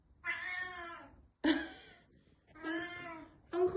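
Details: Black domestic cat, sensitive to change, meowing indoors after a housemate moved out a couple of days earlier; four long harmonic meows, each about a second, with a woman speaking softly between them.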